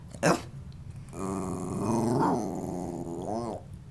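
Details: A 14-year-old female Boston Terrier "talking" indoors on request, a drawn-out moaning, growly vocalization with wavering rising and falling pitch lasting over two seconds, preceded by a sharp short sound; owner praises her afterwards.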